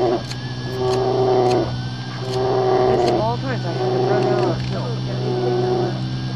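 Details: Fight between a mother brown bear with her older cub and a young female that came too close, Katmai coast, Alaska: sustained steady-pitched bawling calls about a second long, repeating with short gaps, over a constant low mechanical hum.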